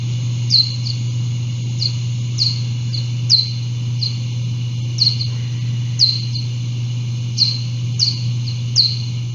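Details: A little brown bat in Connecticut echolocating to navigate and find food, call slowed down and pitch-shifted to be audible: quick descending chirps in irregular bursts over a low hum; the species grew rarer after white-nose syndrome.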